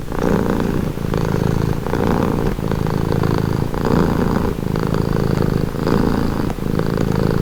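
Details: Domestic cat purring steadily up close, a low rumbling drone that swells and eases in breathing cycles roughly once a second, with no other clear sounds.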